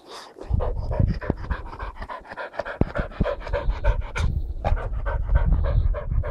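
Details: An English Springer Spaniel running around a garden, fetching leaves, pants rapidly in quick rhythmic breaths, with loud bursts and footfall thumps; a man's voice briefly heard.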